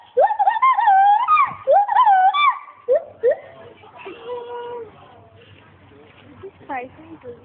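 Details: Paul, a male agile gibbon kept at Monkey World, gives loud wavering hooted notes with strong overtones, then softer fluttering and sliding tones fading toward the end.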